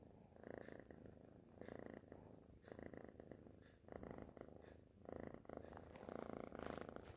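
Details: A young cat purrs close by, low throaty vibration pulsing in breath-length bursts, slightly louder toward the end.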